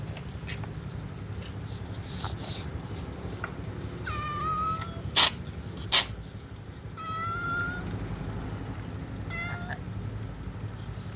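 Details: Several cats jostle before eating. Scattered meows rise, then level off, coming every couple of seconds. Two sharp knocks are heard, over a constant low hum.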